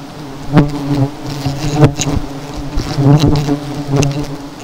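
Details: Honey bees swarming during the removal of seven hives. A steady, low droning buzz runs throughout, broken by several sharp knocks and thumps.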